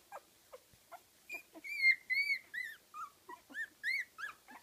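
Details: Young Kooikerhondje pups, 15 days old, in a Swedish kennel litter: thin high whines, some drawn out and wavering, others short and dropping, coming in a quick irregular series.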